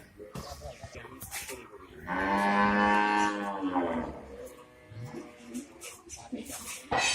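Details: Mini Jersey dairy cow on a farm in Chatmohar, Pabna, Bangladesh, giving one rich, steady two-second moo mid-clip, with a man talking before and after.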